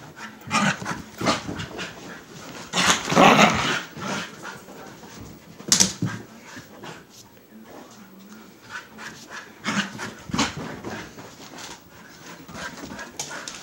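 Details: Newborn Siberian husky puppies from a litter born March 25 to the mother Liv, whimpering and squeaking in short, uneven bursts with louder cries around three and six seconds, handling noises and human voices in the background.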